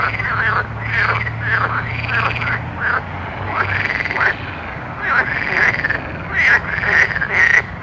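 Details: Night frogs croak in quick bursts of short arched notes, several calls overlapping, with louder, sharper croaks toward the end and a low hum early on.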